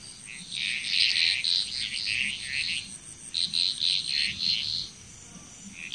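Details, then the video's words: Bali, Indonesia frog chorus with quick trains of bright, clicking croaks repeated about four per second in bouts, pausing briefly near the end, over a faint steady high insect whine. "Frog Chrous"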